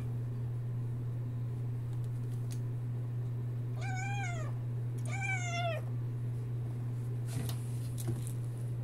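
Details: Chattering Sphynx kitten gives two arched meows about a second apart, each bending down at the end, over a constant low hum with a few faint clicks afterward.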